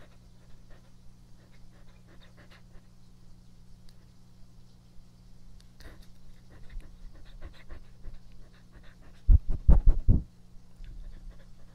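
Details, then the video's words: Dog Epo-chan recorded up close for ASMR: soft, fast, irregular panting breaths, then a loud cluster of wet mouth and chewing noises near the end, over a low steady hum. "ASMR🐕 breath/Mastication sound/drink"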